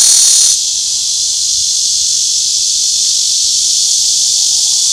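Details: Cicada drone opening with a louder, brighter burst for half a second, then settling into a slightly softer continuous high buzz; a faint thin tone appears near the end.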